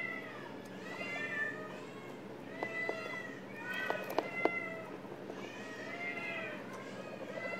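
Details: Several 11-day-old guinea pig pups in shelter care, offspring of a stray mother, squealing in bright arched whistles, weet weet, several per second, with a few sharp clicks and taps mid-recording.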